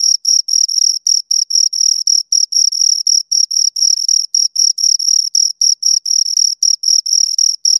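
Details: Two crickets produce shrill, rhythmic chirps, short pulsed bursts of a single high tone about four per second, slightly uneven as the callers overlap, in a clean recording with no background noise.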